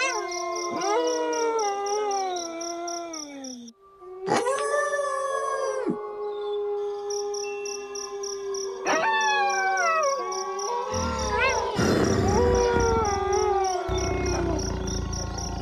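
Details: Gray wolves (Canis lupus): several wolves howl together in long, smooth, wavering tones that slide up and down and overlap.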